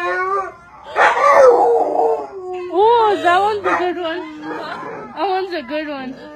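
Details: Pit bull trained to "say I love you", producing drawn-out, wavering howl-like vocal sounds with rising and falling pitch, in bursts of about a second, with a person's voice joining in.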